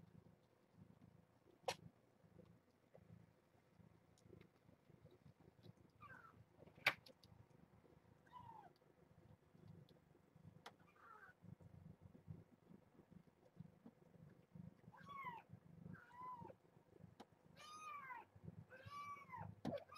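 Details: Kittens from a rescued litter of seven, born June 21 to a stray mother at Purrfect Pals, calling at morning breakfast during formula feeding: high, arching mews that quicken over the last seconds into a run of repeated cries, over soft purring and indoor clatter.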